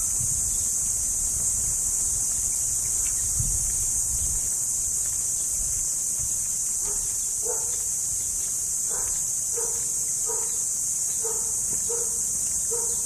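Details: Kuliglig, or cricket, gives a continuous piercing high trill throughout, while a dog barks repeatedly in the background during the second half, about one bark each second.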